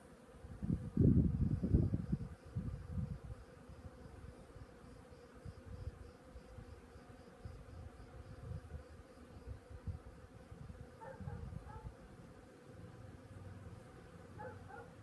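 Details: Bees foraging on a flowering cactus outside a balcony in Greece, a low, droning buzz rising and fading as insects pass close, loudest in a burst near the start, with soft background hum throughout.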